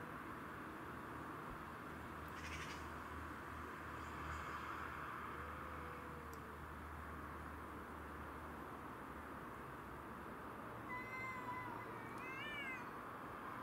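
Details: Territorial fight between domestic shorthair cats Tom, Mimi and a grey-and-white stray. Under a constant low hum come a soft rising-falling moan near the middle and a sharper, wavering, harmonic yowl in the last few seconds, with faint scuffling clicks.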